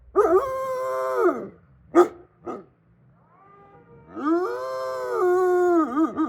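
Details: Captive wolfdogs in a snowy Hokkaido, Japan enclosure howl in long drawn-out notes that rise, hold, then fall, with a pause broken by short yelps before a second sustained howl with wavering ends.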